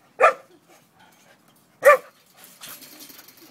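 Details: Two-year-old neutered male Akita mix dog playing outdoors with a Golden Retriever; two loud, sharp barks about one and a half seconds apart, followed by rustling movement noise.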